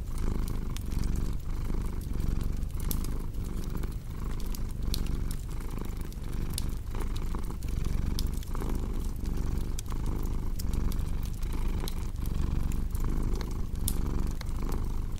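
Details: Domestic cat purring steadily, a low continuous rumble swelling and easing with each breath roughly every 0.8 seconds, over sharp crackles and pops from a fireplace.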